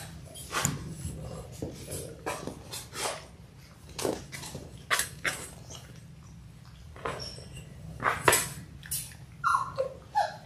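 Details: Six-week-old Labrador Retriever puppies from a litter of six born January 18, 2022, recorded February 28: scattered soft scuffling thumps and clicks, with a couple of short, high, wavering whimpers near the end.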